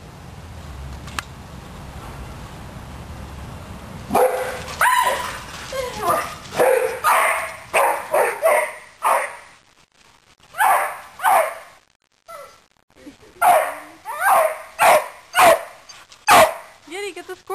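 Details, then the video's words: Two pet dogs chasing a squirrel: after four quiet seconds, a rapid run of sharp, excited barks and yips comes in irregular bursts, with a person urging the dogs on. "Yeti and Virgil after a Squirrel"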